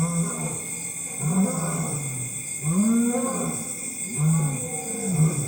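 A lion gives deep, moaning grunts, rising then falling, about every one and a half seconds, over a steady high whine of night insects.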